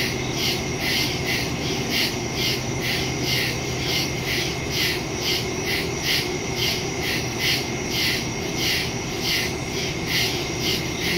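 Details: Crickets in woods at night, recorded September 2 on a phone with a stereo microphone: steady pulsed high chirping, about two pulses per second, layered over a continuous insect drone and low background hum.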